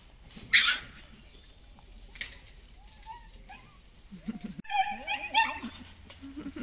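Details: Mama Kira, a dog at a Shiba Inu and Samoyed breeder in the Netherlands, happy that her owner is home again, gives a sharp early yelp, then high whines and squeals that waver up and down in pitch toward the end.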